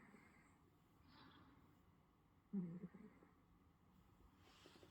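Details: A sleeping Russian Blue cat in South Korea gives a single low, rough snore against a quiet, hushed background.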